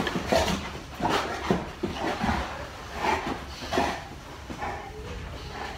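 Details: Molly, a big Boerboel, play-fights with her owner and makes gruff, breathy grunts and huffs about every second. Some soft rubbing and knocking sounds come from the scuffle indoors.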